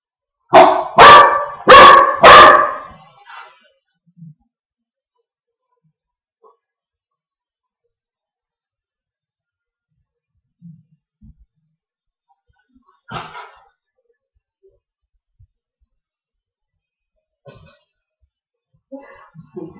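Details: Mr Duke, a Wheaten mix dog, barks at his own reflection in a mirror indoors: four loud, sharp barks in quick succession near the start, then near silence with a few faint soft noises and small knocks.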